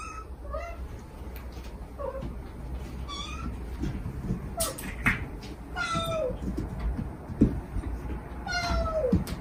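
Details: Kittens of a stray mother cat crying sweetly to her as she calls them, recorded for rescuing a hidden kitten; a run of high, falling meows, each dropping at the end, about every second or two over steady low hum.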